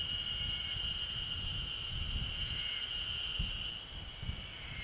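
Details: Yezo spring cicada calling on a ridge at 900 m elevation in the Ashiu primeval forest, Japan, recorded 26 May 2012 with an external microphone; a steady, high, ringing buzz holds unbroken, with low rumbling background noise.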